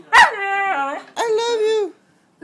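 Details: Four-month-old white Husky puppy vocalizing at its owner: a sharp yip, then a short whine, then a sustained, slightly wavering moaning talk that fades out, all in a quiet room.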